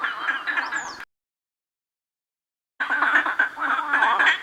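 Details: A dense night chorus of many frogs and toads near Durmitor National Park, Montenegro, on a cool night. Overlapping croaks sound almost like quacking ducks. The recordist suspects it is mating season and sees grass moving where the noise comes from.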